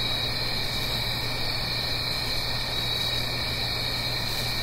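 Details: Many crickets trilling together through a fall night in the Blue Ridge Mountains near a stream; the shrill, continuous pulsing band never pauses while water noise fills the lower range beneath.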